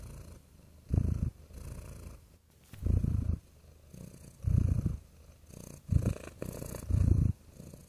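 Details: Domestic cat purring, deep rumbling bursts of about half a second repeating roughly every one and a half seconds, with quieter purring between the louder exhale pulses.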